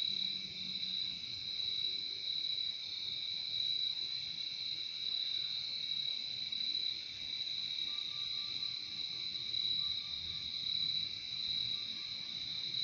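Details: Relaxing nature sound of crickets, an unbroken shrill trilling chorus holding a constant high pitch, with a softer lower tone briefly heard midway.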